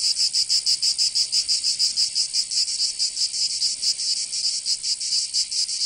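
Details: In the south of France, Provence, summer cicadas produce an intense high buzzing that swells and dips in rapid beats, steady and unbroken throughout.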